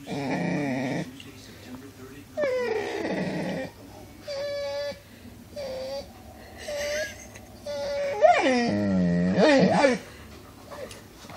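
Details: Pet dog Cooper vocalizes in a string of separate bursts: short nasal whines and yodelling moans, each about a second long, pausing between, ending in a louder, wobbling, pitch-bending howl.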